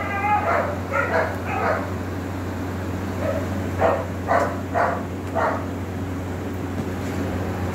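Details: Cane Corso puppy, a black male in India, opening with a few thin whining yips, then after a pause four quick bark bursts close together, with a constant low hum beneath.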